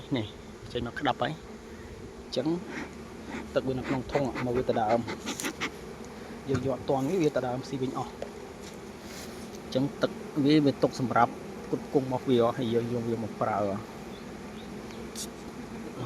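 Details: Honey bees at a Cambodian beekeeper's hives give a dense, steady, low, even hum while a man talks on and off; he says flowers at the site have run out, so the bees are feeding on their stored honey.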